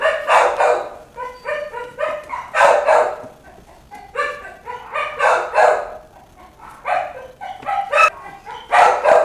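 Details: Several puppies crying out together, high yelping whines with strong harmonics coming in rapid irregular bursts, rising and falling in clusters every second or two with no other sounds.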